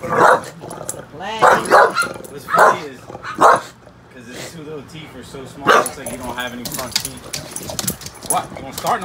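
An English bulldog lets out rough, throaty growls and grumbles in short bursts, part of rowdy play rather than threat. A man's voice talks over and between the growls.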